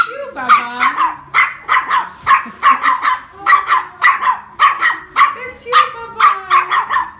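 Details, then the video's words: Tiny female chihuahua barking at her reflection in shop mirrors, seeing herself for the first time and thinking other little dogs will attack: sharp high yaps in quick runs of two or three, about twenty over seven seconds, a woman's voice faint beneath. "tiny chihuahua sees herself in the mirrors for the first time"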